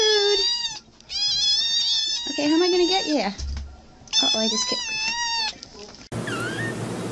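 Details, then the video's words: Cat or kitten giving long, loud, wavering meows, each held about a second or more with strong harmonics, several in a row with brief pauses; a noisier, different-sounding stretch with a faint rising call closes the clip. "Funny Cat Videos"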